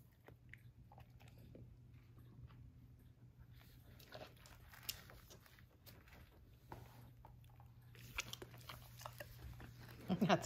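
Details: Basset Hound dog eating romaine lettuce indoors, soft irregular crunching and chewing clicks over a low steady hum, with a brief louder burst near the end.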